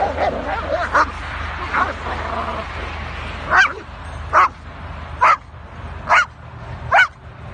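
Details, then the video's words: Kangal dogs fighting: after a muddled stretch of voices and scuffling, six loud, clipped barks come roughly once a second, each a sharp burst, with a faint low hum underneath. "kangal kavgasi |kopek bogusmasi| kangal saldirisi"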